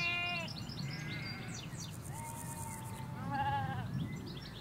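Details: Ewes and lambs in a field in the Hampshire countryside, England: three wavering, harmonic bleats, one short and high, then two longer, lower ones, over a steady low road rumble, with small birds chirping throughout.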